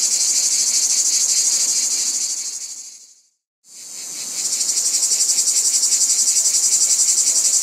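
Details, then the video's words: Loud high cicada buzzing with rapid pulsing fades to silence for a moment, then rises again to a steady throbbing drone. "Cicadas | Black Screen Sounds"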